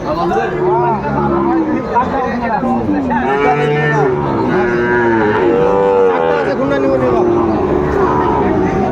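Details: Sahiwal bulls among cattle at a Bangladeshi livestock market on 31 May 2024; a run of long, deep, resonant moos, several animals calling one after another, over a dense background of people talking.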